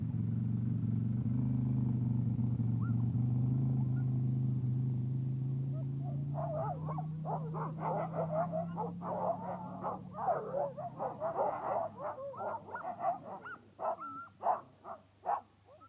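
Sled huskies burst into a chorus of rapid, overlapping barks and yelps after a low rumble.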